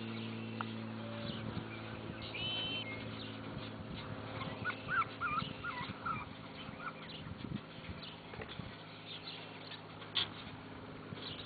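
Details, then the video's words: Bulldog puppies at play, giving scattered high squeaky whimpers and short yelps that come in irregular bursts over a steady low mechanical hum. "bulldog pups play"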